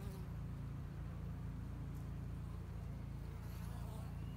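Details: Honey bees in a two-year-old hobby hive in Hickory Creek, Texas, seen through a glass top while working to build up the spring hive: a steady, low, layered droning hum, unbroken throughout, over a faint background hiss.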